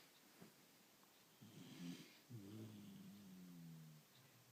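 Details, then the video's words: Female dog snoring loudly indoors: low, rumbling, drawn-out breaths, the second one longer with a wavering nasal tone, over a quiet background. "Snoring Daisy"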